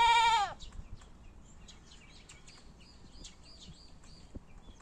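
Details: Goat letting out one loud, nasal bleat lasting half a second, its pitch sagging at the end, followed by quiet background with faint high chirps and scattered small clicks.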